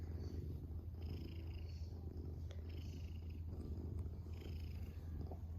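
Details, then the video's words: Pet domestic cat, adopted in 2021, purring steadily: an even, low continuous rumble with slight rhythmic swells and no other clear sounds. "A Lean Mean Cat Purring Machine"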